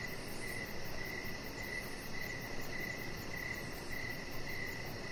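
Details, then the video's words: Crickets chirping outside in the evening beside a deck: steady high chirps pulsing about twice a second, a faster shimmering trill higher above, over a constant low rumbling background. "3 Hours Of Chihuahua Puppy Laying On Deck with Cricket Sounds"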